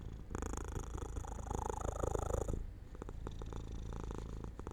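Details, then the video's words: Domestic cat purring as it falls asleep near an open window in the sunlight: a low, steady rumbling purr with rapid pulses, louder in the first half, then softer with a few faint clicks. "My Cat Makes Sounds"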